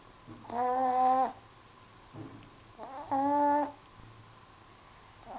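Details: Perdita the cat snores in a quiet room, with two long tonal snores that carry clear stacked harmonics, softer short breaths between them, and a rhythm close to a sleeping cat's breathing.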